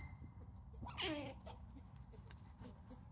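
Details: Red Eye, a male eastern gray squirrel, squawks while chasing the female Mabel in a backyard on 19 May 2020; one loud, harsh burst with falling tonal streaks lasts about a third of a second over low steady background hum.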